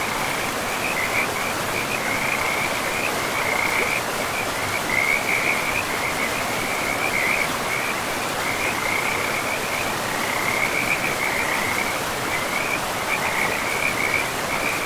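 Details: Frogs calling in a pristine, moss-covered forest beside a river: a steady train of rapid, trilling pulses at a high pitch, repeating in bursts every second or so, over the constant broad rush of flowing water.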